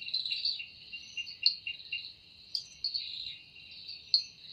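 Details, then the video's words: Wing-made cicada song at evening in forest: a sustained high metallic buzz with a pulsating undertone, loud at first, dipping quieter mid-way, then resuming with sharp accented bursts. "Woundering voice of Cicada"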